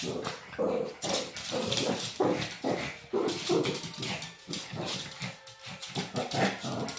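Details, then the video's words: Shih Tzu in a play fight at home, with a rapid, irregular run of gruff growls and whimpery grunts, many short pulses over several seconds. "우리집에 시츄 투견 있다"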